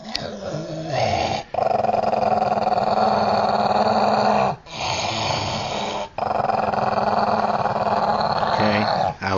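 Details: Old, deaf Jack Russell Terrier indoors, growling after being found in a dog bed. A low, steady, rumbling growl runs in long stretches, broken by brief pauses for breath, with faint speech.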